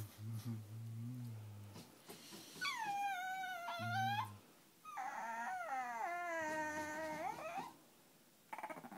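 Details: Irritated by another dog, small Peka-Poms indoors mix brief low growls with long, drawn-out whining cries that sweep high and then slide down, almost howl-like, before a final low grumble.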